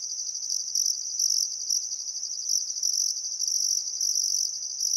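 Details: Australian crickets at a riverside sunset in summer, Welford National Park on the Barcoo River, Queensland outback: unbroken shrill high-pitched trilling, overlaid with short bursts of an even higher pulsing chirp repeating irregularly.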